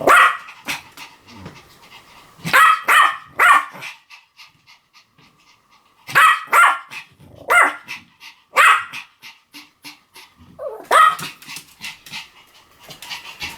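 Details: Pomeranian barking in quick bursts of two or three sharp, high yaps, separated by pauses of a second or two, with light panting and small clicks filling the gaps.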